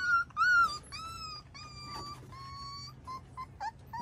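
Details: Five-week-old pups with Miniature Schnauzer parents Max and Hilda outdoors on a deck, May 9, 2021; a few loud whines, then one long level whimper, followed by short soft squeaks.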